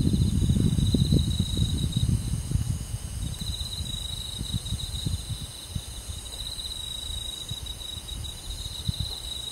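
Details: On a summer night in a countryside forest, crickets keep up a high, even trill, with a short break early on. Loud low rumbling and thumps fade as the clip goes on.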